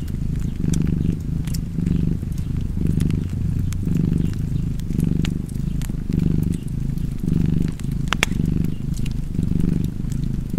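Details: Low continuous cat purr by a fireplace, pulsing in soft waves about once a second as the cat breathes, while fire crackles and occasional louder pops sound in the background.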